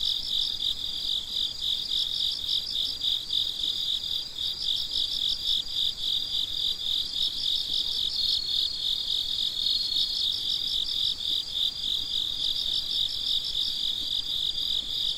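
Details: At night, crickets chirp steadily in a high pulsing trill that carries on without pause.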